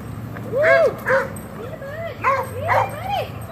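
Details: Reactive dog in obedience training in Georgia, USA, giving a run of arching whines and yelps that rise then fall, about six in three and a half seconds, with a person talking underneath.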